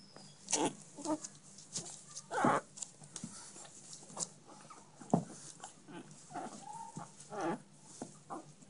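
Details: Chihuahua puppies with red-ginger and blue coats in Minsk make scattered short squeals and yelps, with a few brief whining tones near the end, among clicks and handling noises.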